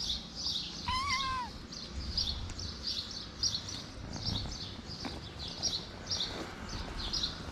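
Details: Feral street cat, a big-nosed female slapping a kitten to keep him from coming near; one drawn-out, wavering meow near the start, followed by outdoor noise and steady high chirping of birds repeating through the rest.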